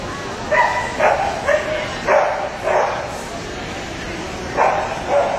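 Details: Samoyed at the Atlanta Samoyed Specialty show, Puppy Class 6-9, giving a run of sharp, mid-pitched barks in uneven bursts, about seven in five seconds, over a steady hum of background chatter.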